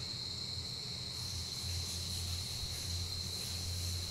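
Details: Close-up of a giant rice cricket, which surfaces only once yearly during breeding season; continuous shrill, even-pitched ringing holds throughout, with a low rumbling hum beneath and slight hiss rising after the first second.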